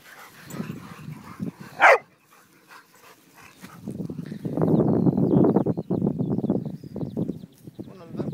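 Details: Pet dogs out walking with their owner, six dogs including Dixie and Annie: one sharp loud bark, then a long run of rough low barking and whining mixed with voices and rustle outdoors.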